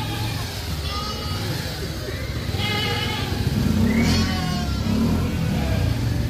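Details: Sheep in Solukhumbu, Nepal, moving down to lower land as winter begins; several wavering, harmonic bleats rise over a constant heavy low rumble, with one strained bleat near the middle and a few others overlapping.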